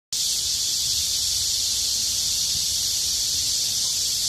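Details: Cicadas singing together in midsummer heat: a dense, unbroken high-pitched buzzing hiss that starts abruptly and holds at a steady loudness throughout, with no pauses or individual phrases.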